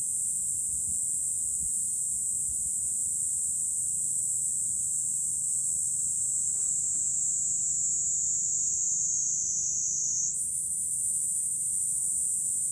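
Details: Cicadas singing in July from high ground overlooking Fukuoka city, Japan: a dense, unbroken high-pitched buzzing chorus holding steady throughout, its pitch stepping up sharply near the end, with a faint low background rumble.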